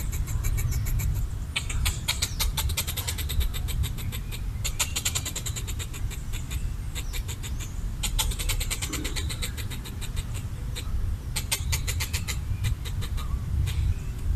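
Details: Red squirrel, territorial while eating coconut bits, chatters at a perceived threat in long rapid bursts of rattling clicks, pausing briefly between runs, with a steady low rumble beneath.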